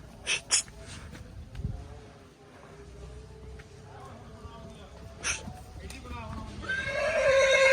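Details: Nukra filly, about two and a half years old and 61 inches tall, breaks into a loud, harmonic-rich whinny in the last second, after men talking and a few sharp clicks over a murmuring background.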